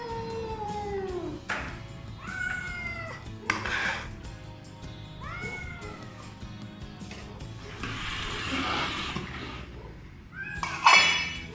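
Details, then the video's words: Morning greeting from a family of three rescued feral cats, a black mother and two grown kittens, meowing only when wet food is on its way. Short, downward-curving meows repeat every couple of seconds between rustling noise bursts and quiet music. "Singing Cats"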